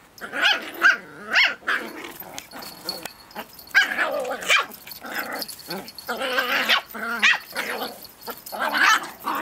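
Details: Two dogs play-wrestling over a twig, with a tiny one getting unsure as the other goes wild; rapid high yappy barks and growly bursts come in quick clusters, closely spaced, with short pauses between.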